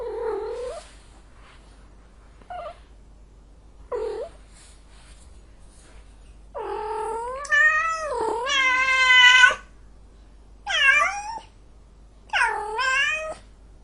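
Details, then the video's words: Angry cat: a few short, rising meows, then a long, drawn-out, wavering yowl lasting about three seconds, followed by two more strained wails, in a quiet room. "son de chat en colere, sonido de gato enojado, angry cat sound"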